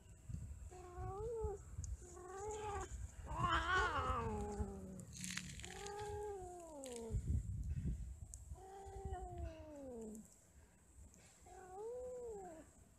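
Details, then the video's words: Cats mating and quarrelling: a series of long, wavering yowls that rise and fall, about six in thirteen seconds, growing loud and harsh near four seconds, with low rumbling noise underneath. "Kucing lagi Kawin ,Cat merried , Cat playing, Cats mating, Cats quarrel"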